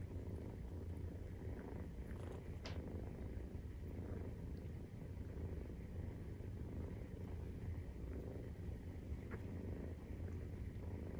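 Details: Purring from Maine Coon cats while kittens 43 days old nurse: a deep, even rumble runs throughout, with occasional soft taps and rustling.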